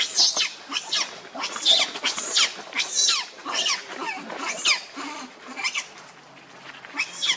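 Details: Protecting Lucie from Kachoy, an angry monkey named Rainbow gives rapid, shrill screeches at an irregular pace of more than one per second. The bursts are harsh and high, with a few lower grunting notes.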